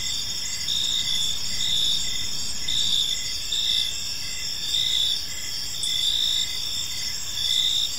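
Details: Evening park chorus of crickets: continuous shrill chirping with brighter pulses swelling roughly every second, layered over low, quiet ambient rumble.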